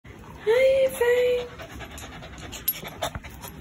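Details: A one-year-old female Shih Tzu, born February 2020, barks angrily with two drawn-out, tonal barks that are nearly level in pitch and almost whining.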